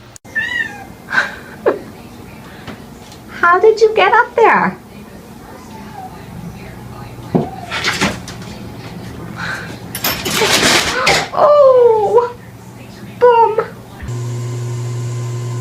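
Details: Talking house cat giving several drawn-out, wavering meows, some rising and falling in pitch, spaced between bursts of human speech and laughter, with knocks and a brief hum at the end.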